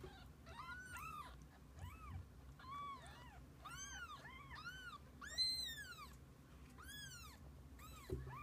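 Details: Mother cat and kittens in each other's company: repeated rising-and-falling mews, clear and harmonically rich, arriving roughly every second or two, some overlapping, against a faint low hum.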